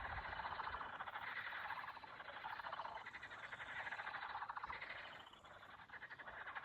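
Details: Frogs calling in summer around a Russian village, a dense frog concert: many overlapping rapid rattling croaks merge into a continuous chorus that swells and eases in waves, with no other clear sounds.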